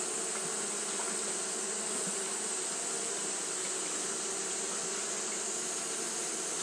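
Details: Fanning Japanese honey bees during hot weather, producing an even, continuous hum of layered low tones beneath a persistent bright hiss that never breaks.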